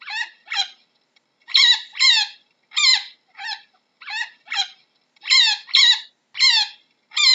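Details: Chinchilla producing a steady series of shrill, descending squeaks in pairs and singles, evenly loud, with quiet gaps and no background noise.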